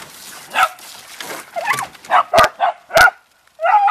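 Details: Beagle and Dachshund dogs playing in water: soft whimpering whines and a rising, bending yelp lead into a quick pair of sharp barks, ending in a loud noisy splash.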